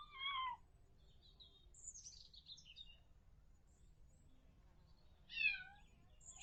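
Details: Kittens giving high, falling mews: one clear mew at the start and another about five seconds later, with faint thin high chirps between them and a low background hum.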